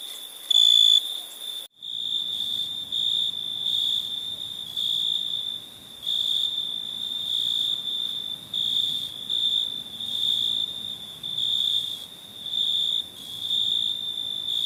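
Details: Night cricket chorus: one short, high, ringing chirp, then after a brief break a near-continuous shrill trill from overlapping insects that swells and fades. Soft low background rumble.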